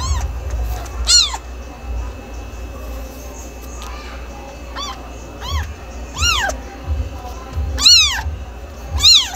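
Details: Kitten meowing in a run of arched, tonal meows, several short and a few longer and louder toward the end, spaced about a second apart above a low rumbling background.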